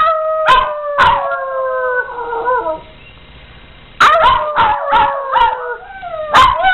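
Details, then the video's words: Pet dogs join a person's howling, producing steady, slightly falling drawn-out howls layered in harmony, punctuated by clicks and yips, with a brief silent pause midway before the howling resumes. "Howling Dogs"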